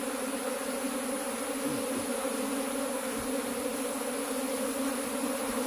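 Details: Kept honey bees hum continuously at an even level, a low buzzing drone with a higher harmonic layer, and soft scattered knocks underneath.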